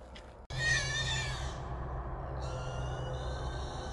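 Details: Three wild hogs caught in a small trap at night, around 1:55 in the morning: a sudden loud, shrill, harmonic squeal bursts out after a brief silence and fades within a second, with a steady low droning hum underneath.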